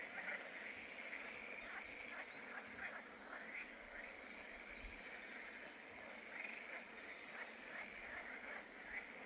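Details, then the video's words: Pelophylax green frogs at fishponds in the Draga valley, Salientisa, on 11 May 2024, croaking in a steady overlapping chorus of short rattling pulses, louder bursts rising and falling throughout. "RIBNIKI V DOLINI DRAGE SALIENTISA Pelophylax sp. ZELENA ŽABA"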